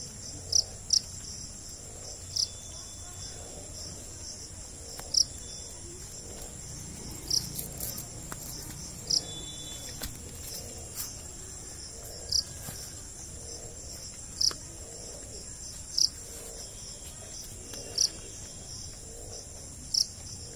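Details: Jhingur, the Indian cricket, repeats brief sharp high-pitched chirps, sometimes doubled, roughly every two seconds against a constant shrill insect drone and soft low noise.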